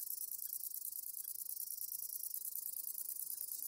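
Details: Conocephalus fuscus song, a continuous very high-pitched shimmering buzz held steadily throughout, made of rapid pulses about three per second in loudness, with nothing audible at lower pitches.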